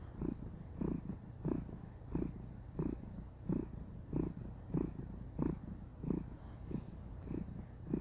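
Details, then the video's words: Female domestic cat purring contentedly while cuddling indoors; low rumbling pulses repeat steadily, roughly one every 0.65 seconds, with a soft continuous hum underneath and no other sounds. "Cuddle Time: Enjoy the Sweet Sound of Purring"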